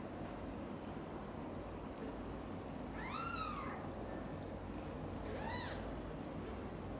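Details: Cat meows as mother cat Xaxa, drawn by a kitten's loud meowing, takes Chan's two kittens, Miracle and Cream, to her own nest: two distinct rising-then-falling meows about two seconds apart above a muffled, noisy low background.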